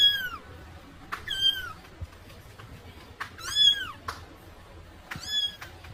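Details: Kitten crying for its mother: four loud, high meows, each rising then falling in a bright arc, spaced about one to two seconds apart, with light background noise.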